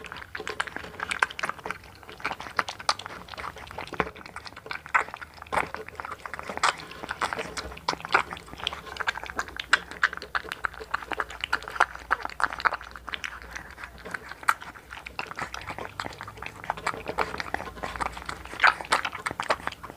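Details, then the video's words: Hunter, a one-month-old blue American Bully puppy in the Philippines, eats a meal: dense wet chewing and smacking clicks run throughout, with small crunches and faint human voices in an indoor room. "1 MONTH OLD AMERICAN BULLY MUKBANG (ASMR)"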